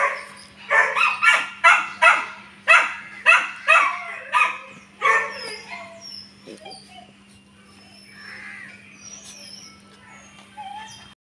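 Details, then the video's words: German Shepherd puppy, offered for sale, barks in a rapid run of about ten sharp yelps, then falls quieter into faint whines and squeaks over a steady hum; a man speaks Kannada nearby. "German Shepherd Puppy"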